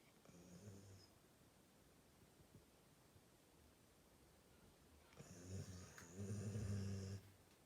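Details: Labrador Retriever asleep and snoring: a short low snore at the start, a long quiet gap, then a louder rumbling snore lasting about two seconds near the end, with a faint breathy hiss above.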